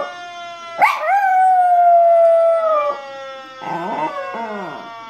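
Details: Pet Chihuahua howling in imitation of a fire truck siren: a long, steady, harmonic-rich tone holds for about two seconds, then shorter wavering howls rise and fall before the sound fades.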